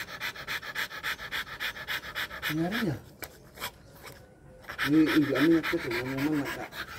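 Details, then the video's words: Rottweiler during mating, panting in fast rhythmic breaths, about four per second, interrupted twice by people speaking Indonesian, with a short quiet gap in the middle. "rottweiler dog mating process"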